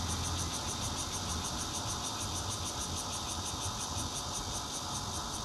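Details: Bear cicada singing in Zhongli, Taiwan, on 16 June 2013, captured from a fourth-floor home with a Nokia Lumia 820 phone; an intermittent style is noted. A dense, harsh buzz carries rapid high pulses, while low traffic rumble sits beneath throughout.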